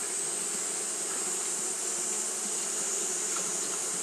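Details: Japanese honey bees fanning through a hot day: a dense, level buzz with a low droning core and faint flickers, under a strong steady high-pitched hiss.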